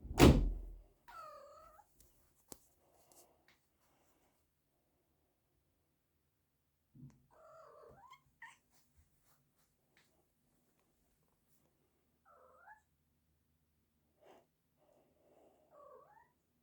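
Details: Piper, a pet cat, makes cute chattering sounds: a loud thump at the start, then several short rising-falling trilled chirps and murmured meows spaced over the quiet recording.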